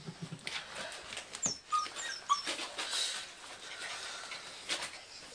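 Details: English Bull Terrier puppies, five weeks old, indoors: a few short, high squeaky whimpers around the middle, over soft rustling and shuffling movement noises in a small room.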